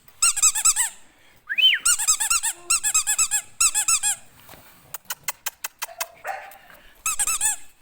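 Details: Several English Bulldog puppies at a breeder, shrill squeaky whimpers in rapid rising-falling bursts of four to six, with a short run of sharp clicks and some indoor room echo.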